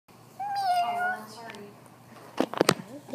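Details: Indoors, a cat gives one clear tonal meow lasting about a second, followed by a brief fainter sound and sharp knocking noises.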